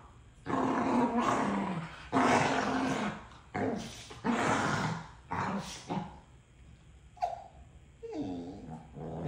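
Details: Two dogs arguing over a toy: loud, rough growling bursts in rapid succession for six seconds, followed by a short yelp and a rising whiny vocalization near the end.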